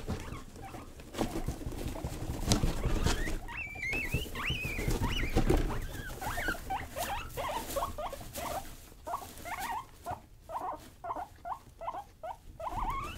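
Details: Young domestic guinea pigs Rosie and Buddy playing wild indoors, giving repeated high, upward-sweeping squeaky chirps, several per second, loosening into a choppy stuttering series, with rustling patter of bedding beneath.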